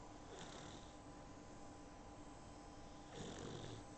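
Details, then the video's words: Tired puppy, a young female dozing after her first bath, captured on an iPhone; two airy, rasping snores about three seconds apart, separated by quiet breathing against a faint constant hum. "puppy snoring"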